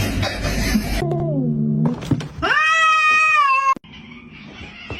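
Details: A cat gives a long, drawn-out meow that rises and then holds steady and bright. Lower wavering, descending sounds and background voices come before it, and fainter noise follows.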